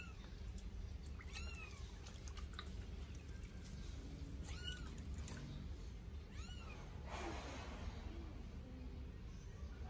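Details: Eight-day-old Sphynx kittens, a pair, bathed for the first time, crying with faint high, arched mews at roughly two-second intervals beneath a constant low wash of running water.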